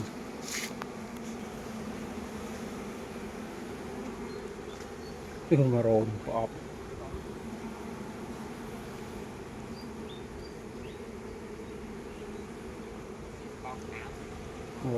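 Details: Honey bees kept by a beekeeper in Cambodia, hum near the honey-storage boxes; a steady low droning buzz runs unbroken through the whole stretch, with a short burst of a man's voice midway and a few faint clicks.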